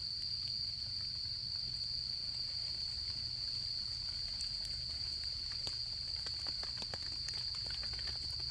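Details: Steady high ringing from autumn insects runs without a break, while a campfire burns nearby, its crackles growing busier and sharper toward the end, over a faint low hum.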